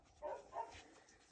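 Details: Two-week-old French Bulldog puppies on a sheepskin placed as a stand-in for their mother, searching for the nipples; two short, soft whimpering squeaks about a third of a second apart against a quiet room.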